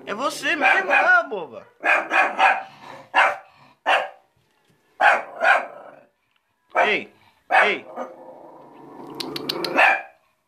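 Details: Female shih tzu kept at home, restless from staying indoors: a run of sharp, arching barks in quick clusters with short gaps, then a rough drawn-out growl at the end, while a person talks to her.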